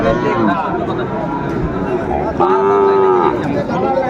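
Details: Sahiwal cattle at a busy cattle market in Kushtia, Bangladesh, on 16 January 2025; a full, harmonic moo of under a second rises out of constant crowd chatter and bargaining voices.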